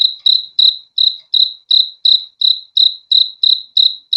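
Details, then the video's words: Crickets chirping, heard as evenly spaced shrill trilled pulses, about three per second, each a short bright burst with a sharp start, nothing else audible around them. "BEAUTIFUL SOUND OF CRICKETS"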